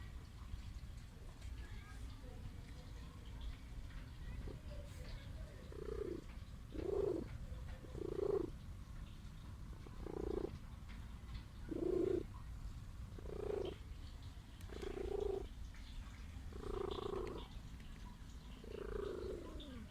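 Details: Sick stray cat wanting affection gives a low continuous purr, swelling into louder rhythmic pulses roughly every one and a half seconds, in step with breathing.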